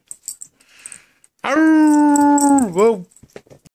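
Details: Bam, a pet dog, singing along with the owner indoors: one loud, steady howl held for over a second, then dipping and rising into a short wavering end, preceded by faint rustling and a brief word.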